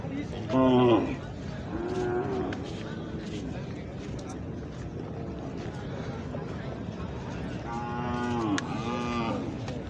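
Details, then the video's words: Khillar young bulls traded at the Pandharpur Kartiki Vari cattle market; two clear harmonic moos, one near the start and another near the end, with fainter lowing between them and constant market crowd noise. "खिल्लार खोंड बाजार"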